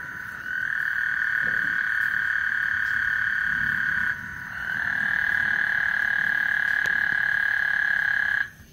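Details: ['Frog chorus on Lake Houston before a thunderstorm: two long unbroken buzzing trills, each nearly four seconds, joined by a brief dip, over a quiet low background.']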